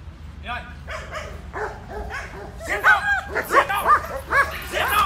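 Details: German Shepherd in attack training, barking on command: quiet low rumble at first, then short arched barks that grow louder and faster from about the midpoint, repeated roughly once a second, with a man's voice nearby.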